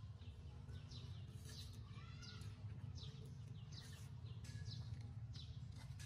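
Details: Crying of a hungry baby monkey begging for milk: insistent downward-sliding squeals several times a second, one longer wavering tonal wail in the middle, all above a dull continuous rumble.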